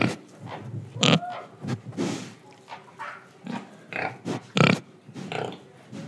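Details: Pig recorded in Indonesia while breathing and eating gives a string of deep, harsh grunts, two louder bursts standing out near one and four and a half seconds, with snorting breaths and chewing noises around them.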